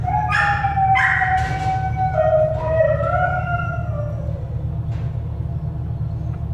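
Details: At an animal shelter, an American Staffordshire Terrier puppy gives a couple of short yelps, then a long, wavering whine that slides downward and fades, over a constant low hum.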